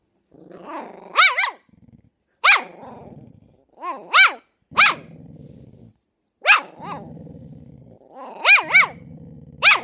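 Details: Luke, a fox terrier puppy, and Dafne, a chow chow mix, vocalising back and forth as if talking to each other; high rising-falling yelps and barks in short bursts alternate with low rumbling growls between them.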